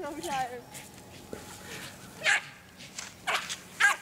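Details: American Eskimo Dog, a Nordic Spitz breed, opening with a brief wavering whine, then three sharp barks spaced roughly a second apart, with a person talking in the background.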